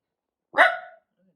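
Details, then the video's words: A single loud, abrupt bark from Tiny, a senior dog aged 13 with a heart murmur, hair standing up on 7/9/23; brief and harsh, fading quickly into silence with a faint low sound afterward. "[Loud Barking] Hair standing up moment"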